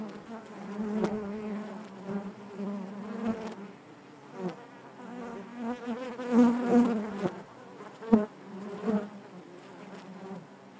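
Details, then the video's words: Inside a beehive, honey bees produce a low, wavering buzz with uneven pulses of louder droning and a few brief sharp clicks or knocks scattered through. "bees therapy hive natural buzzing sound"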